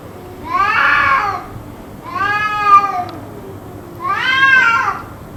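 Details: Persistent cat cries, kept up for about two hours; three loud, harmonic, wavering wails arrive roughly every one and a half seconds, the last one rising sharply before fading.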